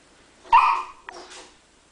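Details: Chesapeake Bay Retriever puppy riding a skateboard lets out one short, bright yelping bark with a brief tonal start. A fainter short sound follows, and the surroundings are otherwise quiet.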